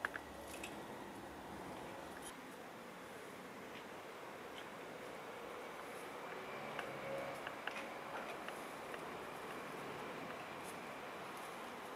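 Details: Quiet indoor room hiss with faint scattered clicks and rustles, with no clear animal call.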